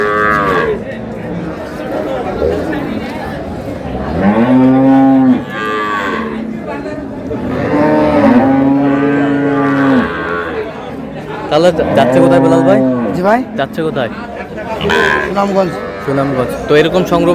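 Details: Cows with calves for sale at Ambari haat market, Dinajpur, March 6, 2026. Several long, low, steady moos, the longest near two seconds, recur every few seconds amid background talk and market noise.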